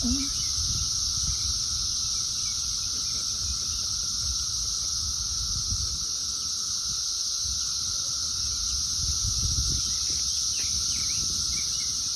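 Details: Dense gathering of Brood XIII periodical cicadas on trees and plants in 2024, some pale and some dark. Their chorus is a sustained, uniform drone with a hissing upper layer, joined by scattered soft clicks and faint chirps.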